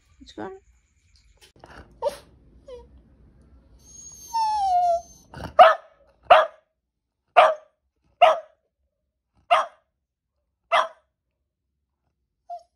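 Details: Japanese Spitz Maltese mix dog barking: a run of seven sharp, loud barks spaced about a second apart, preceded by brief soft speech, scattered faint barks and a short high tonal sound.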